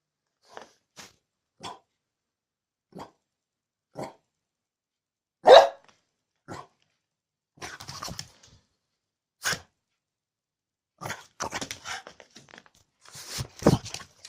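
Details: Angry bulldog giving a run of short, fairly soft barks at uneven intervals, one loud bark near the middle and a rougher, growly burst of barking toward the end.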